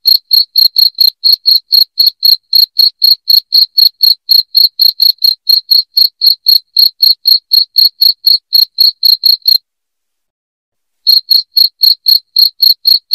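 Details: Repeated loud cricket chirping for scaring off rats: quick bright pulses at about four per second run for nearly ten seconds, break into a silent pause of over a second, then resume at the same pace.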